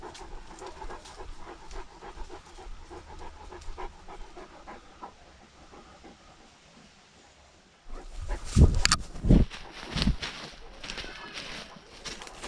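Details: Great Danes on a lockdown walk, filmed with a dog-mounted GoPro: steady rhythmic breathy panting for about eight seconds, then louder rustling and thumping movement noise takes over.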